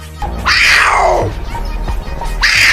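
A puma gives a high, piercing cry that slides steeply downward, over a low musical hum.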